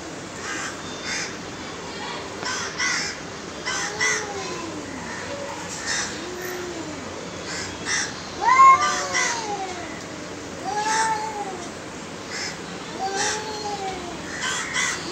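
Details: Two aggressive cats meowing, a series of arched, whining meows rising and falling in pitch, several overlapping, spaced a second or two apart, with faint background hiss and scattered clicks.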